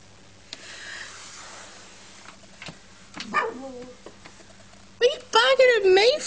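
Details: Pet dogs indoors, one named Max, barking at someone in a hat: faint sounds early, then a burst of loud, harmonic, wavering barks and whines near the end, with a person talking to the dogs.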